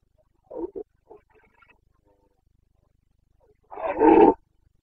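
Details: Carpathian red deer stag in rut, Bucovina, Romania, September 2022: two brief gruff grunts and some faint murmurs, followed after a quiet pause by one loud, coarse roar near the end.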